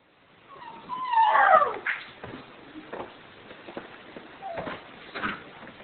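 A dog gives a high, wavering whine that bends up and down, calling out for its owner.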